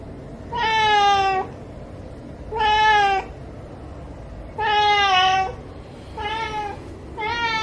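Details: Captain Meow, a ginger cat, begging for shrimp with five drawn-out, strongly harmonic meows, each about a second long and repeated every one to two seconds, slightly falling in pitch, in a quiet indoor room.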